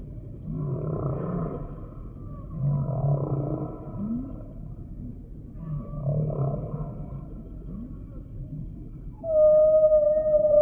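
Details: Humpback whale singing in repeated phrases: deep moaning units recur every few seconds with brief upward-swooping cries between them, ending in a sudden, loud, steady whistled tone held with a higher overtone.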